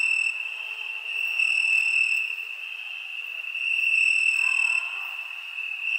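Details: A continuous, bright cricket trill on a summer night, swelling gently twice as the sustained high tone carries on without pause.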